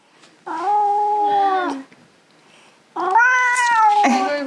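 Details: Russian Blue cat fighting claw trimming at home, two long loud complaining meows separated by a pause, each holding pitch then sliding downward at the end.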